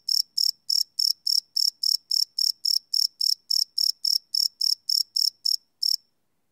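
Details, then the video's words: A cricket at night, recorded live on a Sony PCM D100 field recorder: about twenty shrill pulses in a regular series that slows slightly and stops after six seconds, leaving silence. "Cricket Chirp Sound - Cricket Sounds at Night"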